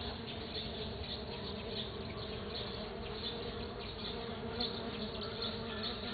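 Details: Stingless bees working a sunflower bloom, dated 09 12 2013, give a continuous droning buzz, even in loudness throughout, with faint flickers of higher whirring over a low steady hum.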